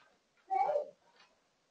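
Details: Domestic cat calling because it wants to play while its owner is busy with chores, recorded September 10, 2022: one short mid-pitched meow lasting about half a second, with a faint softer sound just after and otherwise quiet.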